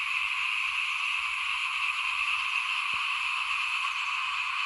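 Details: Small frogs calling in front of a house at rice sowing time, 2021: a dense, unbroken chorus holds steady through the clip, blending into one continuous trilling drone with no pauses.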